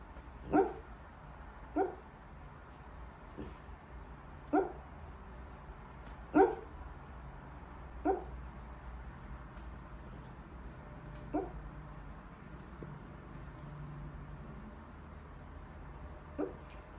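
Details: Corgi Husky mix puppies giving short, sharp yips and barks, about eight scattered over the recording at uneven intervals, over a steady low background hum.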